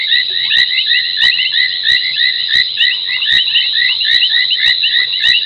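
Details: Foam nest tree frogs at night at Gowrie dam waterhole, Djuma Game Reserve, Sabi Sand Wildtuin, South Africa, 23:46 on 30 January 2021. A dense chorus of short chirping notes rises and falls beneath sharp clicks about every half second.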